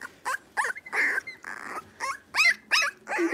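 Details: Blenheim Cavalier King Charles Spaniel puppies, a litter of five born at New Year, in an indoor home puppy pen while wrestling; high, squeaky yips and short barks come in quick irregular bursts, about nine in three seconds.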